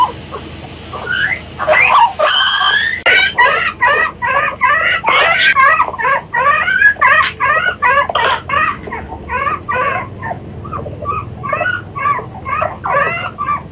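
A guinea pig gives a rapid run of shrill, bouncing squeaks, two or three each second.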